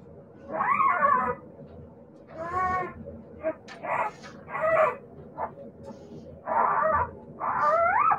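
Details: Siberian Husky puppies giving drawn-out, rising-and-falling whining cries, about seven separate calls over eight seconds, some with a wavering, yelping quality, against a faint low background hum.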